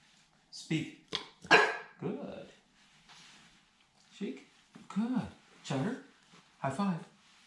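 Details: A 13-week-old Staffordshire Bull Terrier puppy doing tricks gives short, sharp barks in separate bursts, some rising then falling, spaced about half a second to a second apart, with a man's voice giving commands and praise around them.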